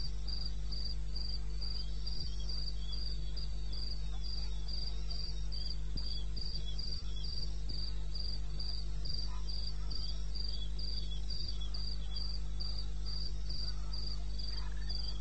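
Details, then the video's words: Recorded at 2:30 am on 21 May 2016 in eastern Botswana wilderness, a cricket sings a shrill, evenly spaced pulsed chirp about three times a second, backed by a fainter second chirping insect and a constant low drone. "1 Hour cricket sound-Africa-No loop-Real recording. Not edited."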